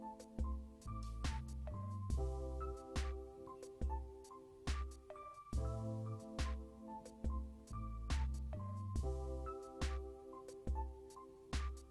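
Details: Quiet electronic music with plucked, ringtone-like notes and a soft bass beat repeats, with no animal voices.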